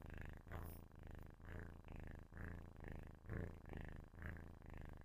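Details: Sleeping kitten purring loudly close to a microphone: a deep, steady rumbling purr in swelling pulses about once per second, with short breathing gaps between pulses, in a quiet indoor setting.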